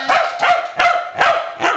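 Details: Pembroke Welsh Corgi, a pet dog, barking while waiting to taste test a hard cheese chew: five sharp barks spaced about every 0.4 seconds.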